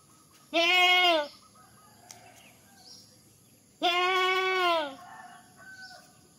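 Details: Goat calling in a funny way: two strong, tonal, slightly quavering bleats about three seconds apart, the second longer and trailing off, with soft background noise and a faint high whine.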